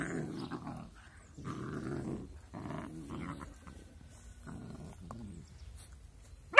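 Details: Two cute but angry puppies playing together growl in rough, low bursts of about half a second to a second, separated by short pauses, with fainter grumbles later and a sharp knock at the very end.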